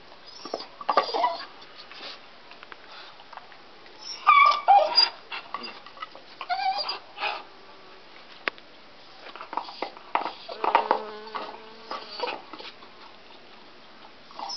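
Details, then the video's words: Deaf dog biting on a stick in a small room, unable to hear itself: bursts of high yipping whines and cries, some with clear wavering tones, scattered between crunching chews and quieter pauses. "dog crying on a stock"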